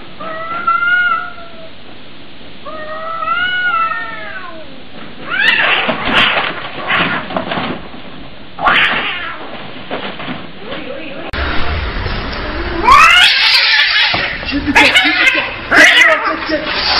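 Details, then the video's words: Cats fighting: two rising-falling yowls early on, then harsh scuffling bursts and hissing spits, ending in a loud chaotic scramble of screeches and thumps. "funny cats fight"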